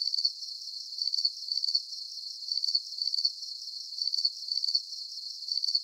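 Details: High-pitched cricket chirps, each a quick rattle of pulses, come in uneven clusters across the stretch; steady, shrill and unaccompanied, offered as a soothing nighttime sleep sound.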